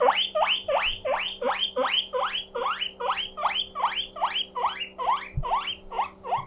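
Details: A lonely pet guinea pig named Mokohei wheeks loudly, each squeal a bright upward sweep, about two and a half per second in a regular run, with a faint hum and one low thump.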